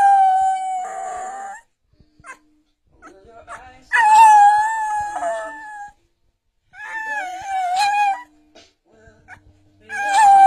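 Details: A Bull Terrier, prompted by its owner, "sings" along to an Ed Sheeran song, howling in drawn-out, wavering notes that climb, hold, then slide down, in bursts of a few seconds over faint pop music.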